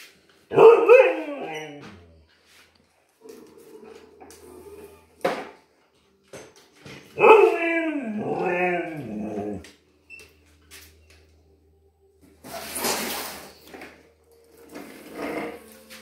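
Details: Husky, frightened of a new vacuum cleaner, gives two long wavering howl-like whines with descending harmonic sweeps, near 0.5 and 7 seconds, with short bursts of noise and quieter murmurs between them indoors.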